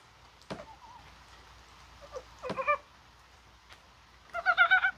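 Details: Mountain frog in January rain on a warm, spring-like day, possibly spawning: scattered knocks and dull thuds, then a clear pulsed, vibrating croak near the end.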